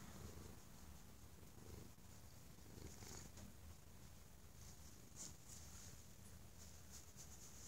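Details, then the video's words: A stray cat brought inside for love and safety, possibly after mistreatment, gives very loud purring: a constant deep vibrating rumble, slightly swelling at times, with faint soft rustling above. "the Stray Kitty Purrs Like an Jet Engine"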